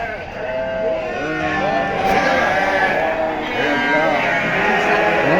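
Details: Sheep flock at a farm, many overlapping wavering bleats layered together throughout, rising and falling in pitch, with a person's voice mixed in.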